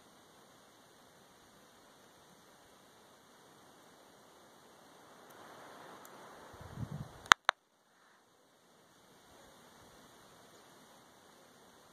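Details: Only low hiss, some rustling and a pair of sharp clicks are heard, with no animal voice.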